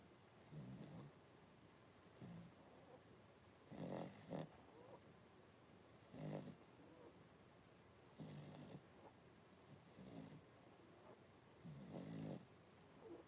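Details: Blenheim Cavalier King Charles Spaniel puppies, a litter of five born at New Year, with their mother Paris in an indoor puppy pen; soft, low snoring breaths and grunts come roughly every two seconds, a few louder and rougher.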